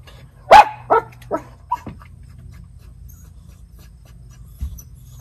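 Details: Miniature Schnauzer brothers, white puppies, upstairs on the decks in Aroostook County, Maine, October. One loud bark followed by three quicker, softer yips, then quiet with a low hum and one faint thump.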